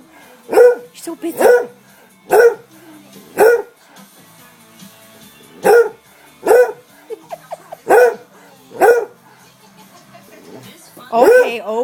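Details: A pet dog barks at its owner, demanding until the dishes are done: about ten sharp, loud barks over twelve seconds, roughly one per second with a short pause midway, with faint background sound between.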